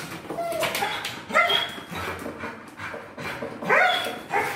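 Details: Pit Bull letting out repeated high-pitched yips and whiny yelps, two louder bursts stand out among softer whimpers, while people chat in Spanish in the background.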